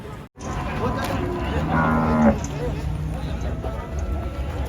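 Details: Cattle arriving by the first truck at a busy cattle market: one drawn-out, harmonic moo swells near the middle of the clip, with men talking and crowd and vehicle noise all around.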